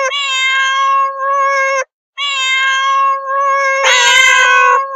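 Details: Long, loud meows from domestic cats, three nearly back-to-back; the first two are steady and wailing, the last starts with a harsh, rough burst before settling into a drawn-out tone.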